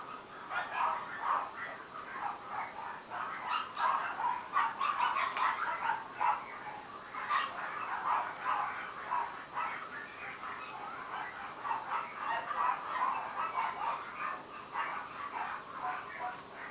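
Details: Very small 70-day-old female Shih Tzu puppy giving a rapid, irregular stream of high, thin yips and whimpery squeals. The calls overlap almost continuously, with brief louder bursts throughout.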